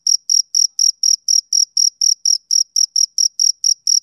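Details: On a summer evening a male cricket gives rapid, shrill, evenly spaced chirps, about sixteen in four seconds, clean and high with a faint upper ring.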